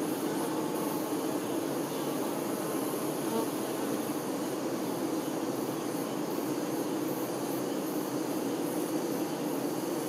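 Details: Worker honey bees attending the queen, making a dense, continuous low hum that holds steady throughout, with faint higher hiss above it.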